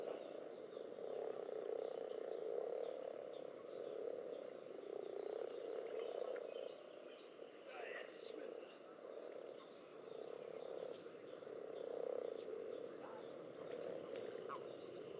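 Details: In a pond where common toads and assorted frogs gather to spawn among egg clumps and strings, overlapping low purring croaks rise and fall in pulses every few seconds, with scattered distant bird notes.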